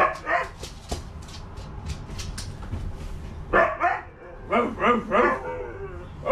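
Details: Two Siberian huskies play at home with a stuffed toy husky. Quick sharp yips and barks come first, then a run of drawn-out, harmonic woo-like vocal calls, with a person talking excitedly in the background.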